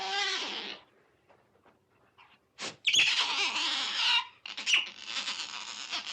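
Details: Wild otter sounds: a short squealing burst, then near silence with faint clicks. After that come a sharp high squeak and a sustained, wavering, harmonic squeal lasting over a second, followed by further squeals.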